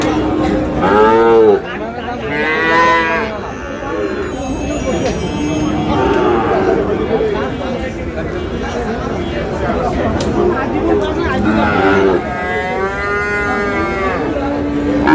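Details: Sahiwal bull calf, about seven to eight months old, at a cattle market in Sirajganj, Bangladesh: repeated loud, bending moos from more than one animal, against continuous crowd noise and voices.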